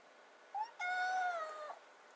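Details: Rescued kitten, 96 days after being taken in, meowing in front of the fridge while waiting for wet food indoors; a short chirp, then one long drawn-out harmonic meow holding steady before dipping at the end, in a quiet small room.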